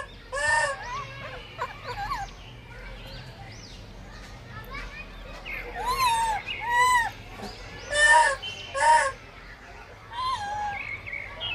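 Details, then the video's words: Blind baby monkey fighting for food, giving repeated high squealing calls with arching, warbling tones, several loud bursts near the middle and end, amid background chatter and other voices. "Blind baby monkey fighting for food"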